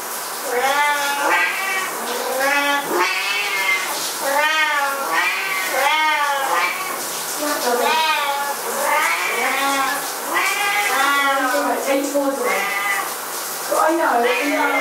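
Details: Two pet Siamese cats going berserk indoors while their owner takes a shower, giving loud arched, wailing meows, one after another roughly every second, sometimes overlapping, in a steady agitated stream.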